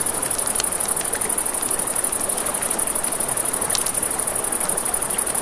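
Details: Crickets chirping at night beside a river, a continuous high, finely pulsed trill running throughout, over crackling campfire snaps and the broad hiss of flowing water.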